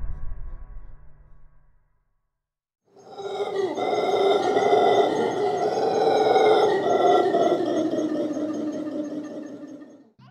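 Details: Howler monkeys give a long, guttural roaring howl that swells and fades, used within their large social group mainly to attract mates or deter rivals; reported at 128 to 140 decibels, carrying over 3 miles.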